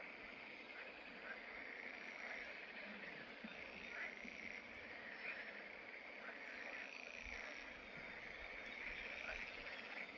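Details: Fishponds in the Draga valley at Salientisa on 11 May 2024 hold a chorus of green frogs, Pelophylax, giving continuous rasping, pulsed croaks that swell at intervals, with a few faint clicks overhead.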